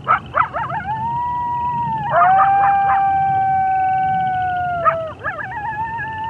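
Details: Several wolves howling together in long, steady, overlapping tones at different pitches, with short choppy yelps and yips breaking in at the start and near the end.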